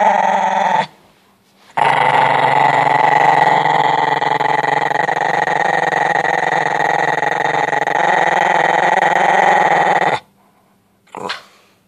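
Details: Italian Greyhound guarding its bone indoors, refusing to let go; a loud continuous rumbling growl held for about eight seconds after a short pause, then a brief final growl, with a person urging it to drop it.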